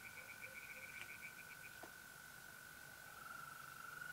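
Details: Tree frogs singing in a pond on an April night in north-eastern Italy: a quick series of short, bright croaking pulses for under two seconds, over the steady high trill of mole crickets.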